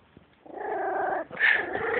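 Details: Three-week-old Beagle puppies: a drawn-out, wavering whining cry lasting most of a second, a brief pause, then a higher, louder cry that drops back into a steady moan, indoors.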